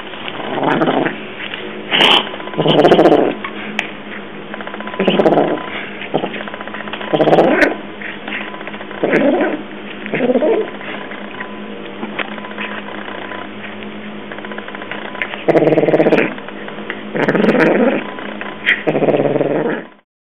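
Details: Eating his dinner, the male African cat Evil Penguin, who has odd blue and yellow eyes, gets aggressive; low, rough growling grunts come in bursts every second or two, indoors, with faint clicks between.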